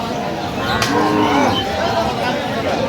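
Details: At Aftabganj cattle market, Dinajpur, on 21 October 2025, a soft, level moo from improved-breed dairy cows or calves sounds under loud crowd noise, with a sharp knock near the start.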